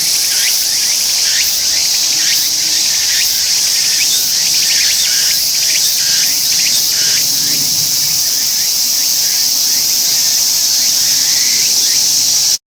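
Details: Singing tsukutsuku-boshi cicada, Meimuna opalifera, a continuous intense high buzz with rapid downward-sweeping pulses early on merging into a steady drone, ending abruptly.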